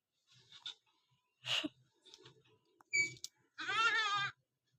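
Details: Goat being given a bath: soft rustles and a murmuring voice, then one loud, quavering, nasal bleat with a wavering tremble lasting under a second near the end.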